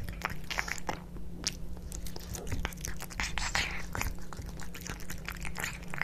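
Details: Kitkat and Leo, two pet cats, eating tuna wet food; crunchy bites and moist smacking chews repeat densely over a low steady hum in a small indoor room.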